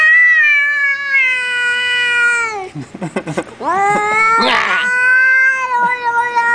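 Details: A cat meows in long, sustained, slightly falling calls, broken midway by rapid choppy chirping or chattering sounds and brief noise bursts, then resuming with another extended wavering meow; faint background music.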